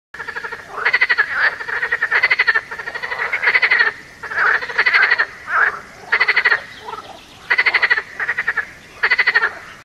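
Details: Frogs and toads croak in rapid pulsed bursts, several overlapping callers repeating every second or so.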